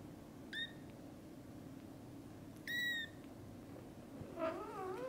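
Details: Domestic kittens just awake, calling to their mother cat to play outside: two short high harmonic mews early on, then a lower, wavering meow near the end, over a quiet indoor hum.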